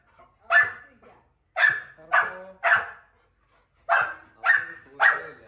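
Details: German shepherd puppy meeting an angry one-year-old Labrador for the first time; sharp barks, one alone then in clusters of two to three, seven in all over about five seconds, in a quiet room.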